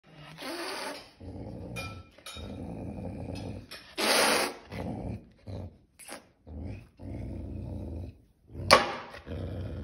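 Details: A hungry caracal (Caracal caracal) growls in low, rumbling stretches broken by sharp hissing bursts.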